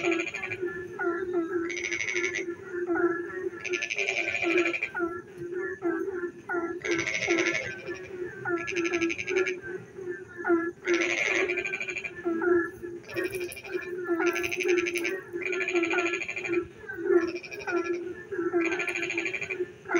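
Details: Night chorus of frogs during rain, with low throaty croaks repeating rapidly throughout and bursts of harsh, rattling pulsed trills every few seconds from several overlapping callers.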